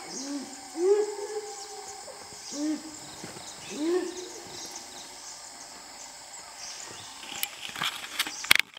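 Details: A dhole in Nagarahole National Park, apparently trying to hunt a tiger, gives three short, hollow, hooting whistles a second or two apart, then falls quiet.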